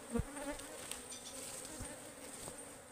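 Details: Wild ligwan honeybees in the forest during hive harvesting: a short burst of steady humming drone with a loud thump at the start.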